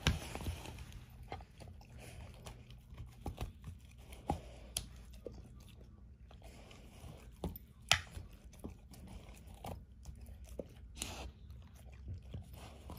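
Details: Indoors, Ava, an elderly German Shorthaired Pointer of 13, gnaws and crunches the bones of a dehydrated turkey wing. Scattered crisp snaps and wet chewing clicks, one loud crack midway, over a low background hum.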